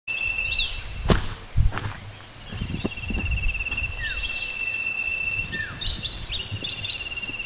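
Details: A Kerik meadow katydid (Conocephalus melaenus) gives a steady, very high-pitched hissing buzz that runs without a break.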